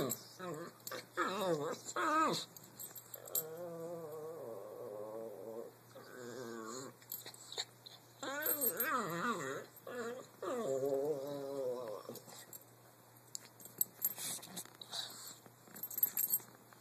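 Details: An English Bulldog grumbles and whines in wavering, throaty bursts during rough play with a Brussels Griffon.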